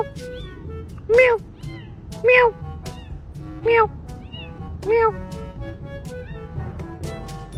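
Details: Domestic cat meowing four times, roughly once every 1.2 seconds, each meow short and arched, rising then falling, over steady background music.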